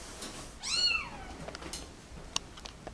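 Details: Cat from a mother and her kittens who were dumped in a cardboard box at a turnpike, kept indoors; a single arching meow that rises then falls, rich in harmonics, followed by faint clicks and rustling.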